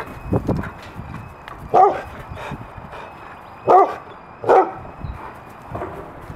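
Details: Three dogs full of energy and excitement, a German Shepherd Husky, a Wolamute and a Great Pyrenees mix, giving three short harmonic yelping barks spaced about two seconds apart. Low background rumble and scattered soft thumps sit between them.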